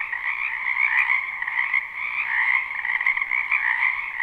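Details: Many frogs croaking together in a wetland behind a house in spring, live recording without looping: a dense, unbroken chorus of fast trilling pulses in two stacked bands, middle and higher pitched, with no other sounds.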